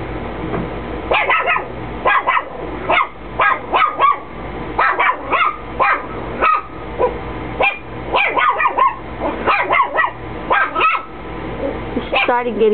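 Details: Indoor Chihuahua barking though nobody is present; rapid clusters of shrill, yipping barks repeated throughout, some barks slightly drawn out, constant low electrical hum in the background.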